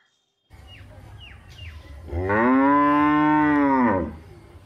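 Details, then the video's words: Village cow giving one sustained, steady moo of about two seconds, rich in harmonics, preceded by a few faint higher squeaky chirps and low background rumble. "big cow video #cow #sound"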